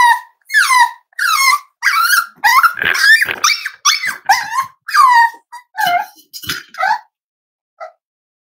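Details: Cavalier King Charles Spaniel puppies almost 8 weeks old, filmed at home on a livestream: a run of high, squeaky whines and yelps that bend down in pitch, packed closely for seven seconds, then a single faint squeak after a pause.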